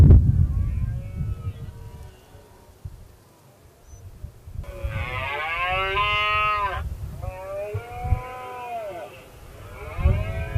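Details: Roaring of a red deer during the 2016 rut, where a dominant male taunted rivals. A long, strained harmonic bellow wavers and falls, followed by a shorter second roar and a low thud, after a quiet, rumbling start.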